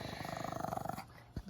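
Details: Puppy being fed indoors, giving a low, rapidly pulsing rattly growl for about one second, followed by quiet room noise and a person's voice nearby.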